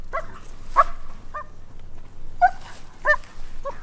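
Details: German Shepherd on a tracking lesson in Virginia, searching for a trainer's scent trail: short high yelping whines and yips in scattered bursts, outdoors.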